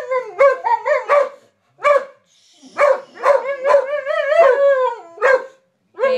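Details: Male dog that neither barks nor howls screams on seeing a cat: loud harmonic yelping screeches in rapid bursts, some drawn out and wavering, with short pauses between groups.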